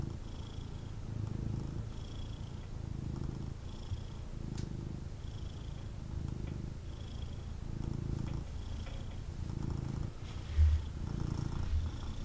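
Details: Snuggling with his owner, a male kitten keeps up a low vibrating purr in regular breath-paced surges, faint whistling on each breath and a brief bump near the end.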